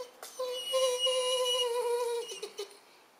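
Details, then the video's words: Weimaraner named Suza asking to go out, filmed 4 January 2011 on a Panasonic Lumix camera: one sustained, mid-pitched tonal whine holding steady for nearly two seconds, then a few short broken yelps trailing off. "Weimaraner Suza ask to go out by lovely sound"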